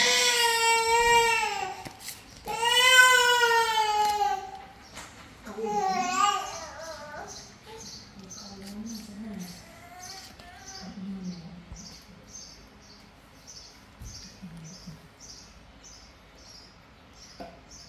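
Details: Sick cat being fed gives two long, drawn-out, wailing meows in quick succession, then a shorter meow; quieter murmurs and a steady series of faint high ticking chirps follow, indoors.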